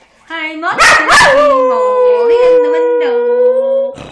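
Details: Pet dog singing her heart out: a short sharp onset followed by one sustained, steady howl that holds its pitch, wavers slightly and swells gently toward the end.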